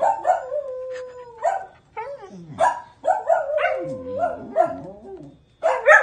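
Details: Dog howling in long, sliding tones that hold steady, then dip and waver, broken by short gaps and a few rough yelps; a brief fainter howl rises at the end.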